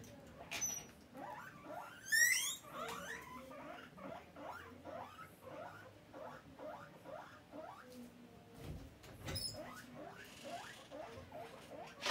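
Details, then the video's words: Guinea pig calling for food with a long run of quick upswept squeaks, repeated two or three times a second, a louder higher burst near the start and a short thump partway through. "Guinea pig asking for food"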